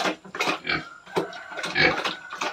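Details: Domestic sow on a farm, pregnant at 112 days and close to farrowing, gives a series of short, harsh, breathy grunts and snorts in uneven bursts, with a faint steady whine running underneath.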